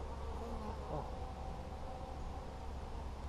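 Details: Honey bees in a nucleus colony during a hive inspection on 17 July 2020, the frames full of brood; a steady, low droning hum with layered overtones runs unbroken throughout.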